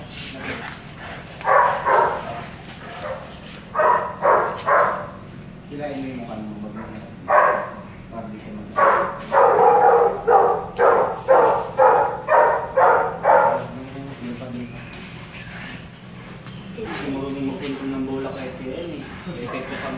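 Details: Belgian Malinois during a stud session on a home service visit in Caloocan City, barking in quick runs of sharp, evenly spaced barks, roughly two per second, with human voices talking in the background between bursts.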